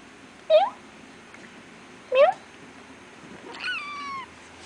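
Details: Two short, bright feral kitten mews rise sharply, then a longer, wavering cry slides downward. The kittens were born and raised by a feral cat in an industrial area and were being tamed. Steady background hiss.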